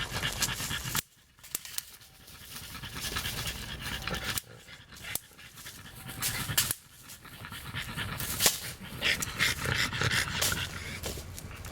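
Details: Four-year-old female French Bulldog indoors, excited by an electric insect racket: rapid rough panting breaths throughout, mixed with broadband clatter and handling noise, brief quiet gaps.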